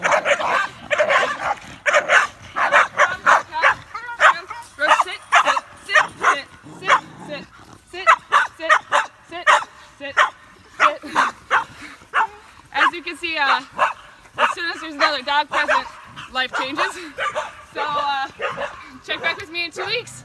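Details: Olde English Bulldogge, a female in training for leash reactivity toward other dogs in Central Minnesota, giving harsh, broadband barks in a rapid series, about one each second, with a person's voice heard between some of them.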